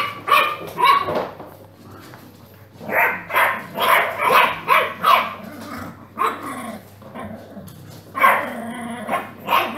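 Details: Dogs and puppies barking in a compilation of funny dog clips: loud, harsh barks in bursts with short pauses between, several barks per second at times, a faint low hum underneath.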